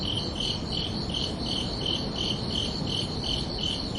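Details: Crickets at night on a summer evening: around ten clear high chirps in four seconds, each pulse slightly drawn out, layered over a constant low hum of ambient noise.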